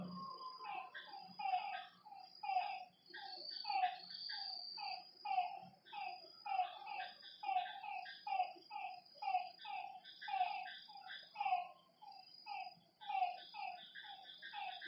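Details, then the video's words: Night frog chorus at a lake: a dense, continuous stream of short, nasal, harmonic croaks from many animals, pulsing in waves. A constant high-pitched insect drone sits behind them. "Lakeside night creatures and frog sounds"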